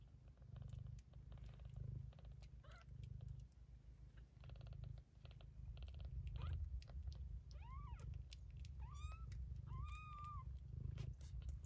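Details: Two-week-old Bengal kittens from a litter: a steady deep purring rumble runs throughout, broken by soft handling noises. Near the end come three short rising-falling mews about one second apart.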